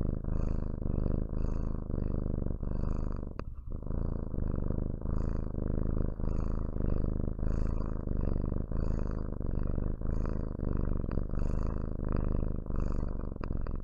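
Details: Steady low purr from a pet cat, continuous rumble rising and falling with each breath about once per second, briefly interrupted near the four-second mark, otherwise quiet room.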